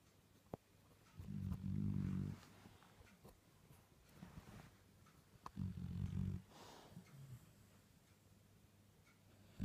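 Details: Sleeping Dalmatian puppy snoring, said to sound like an old man; two rasping, rattly snores about four seconds apart, each lasting around a second, with quiet breathing between them indoors.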